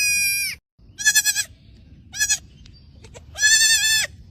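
A young goat kid bleats in several high, wavering, nasal cries.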